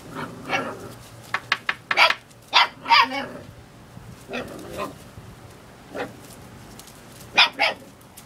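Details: Seven-week-old puppy giving a series of short, sharp yaps and barks, some in quick pairs, spaced irregularly with quiet gaps; faint room hum behind.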